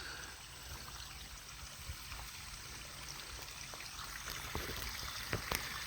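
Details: Steady trickling and flowing water at a pond, with scattered splashes and drips and no animal voices.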